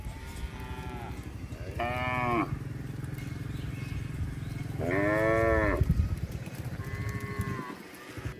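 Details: Cattle herd wandering along a road: several overlapping lows, including two strong harmonic moos and fainter ones from other animals, over a continuous low rumble.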